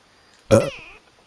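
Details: A kitten gives one short, loud meow that starts sharply and trails off in a wavering tone, indoors, followed by a woman speaking softly to it.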